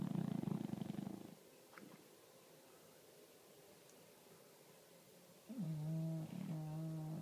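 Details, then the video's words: English Bulldog snoring: a low rattling snore at the start, a long quiet gap, then a steadier droning, faintly whistling snore. "English Bulldog Snoring"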